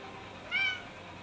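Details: A female Bengal cat in Ikebukuro, Tokyo, recorded 7 February 2019, gives one brief, high, thin meow against a quiet background.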